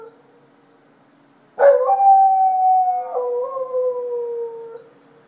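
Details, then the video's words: Dog at night in Chiayi county, Taiwan, 2014, giving one long loud howl that starts abruptly, holds a steady tone, then drops to a lower sustained pitch before fading after about three seconds; quiet background otherwise. "Dog at night"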